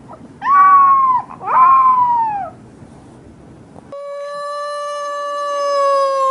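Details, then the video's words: Puppy giving two short howls that rise and then slide downward, followed by a long, perfectly steady, even tone with rich overtones. "Cutest Puppies Howling"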